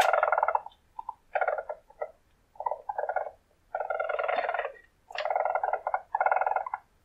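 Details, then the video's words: Weasel, a predatory mammal of the marten family, calling in the wild: rough, pulsed trilling bursts of about half a second to a second, separated by short silences, with a buzzy, purr-like texture. "Weasel squeaks"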